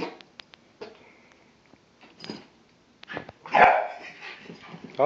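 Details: Pet dog Bentley reacting to fart sounds: a single loud, harsh bark bursts out near the middle, after soft clicks and rustles, with people talking and laughing before and after.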